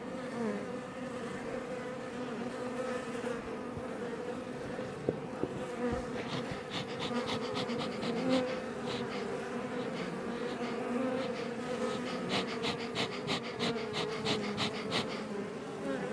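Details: Iberian honey bees buzzing outside a Langstroth hive west of Roquetes, south Tarragona, Spain, close to Els Ports; a dense, steady drone, joined after a few seconds by rapid bursts of crackling ticks in quick runs.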